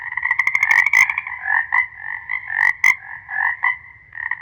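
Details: Chorus of frogs croaking together, dense overlapping rattling calls in pulsing bursts with a few sharp clicks.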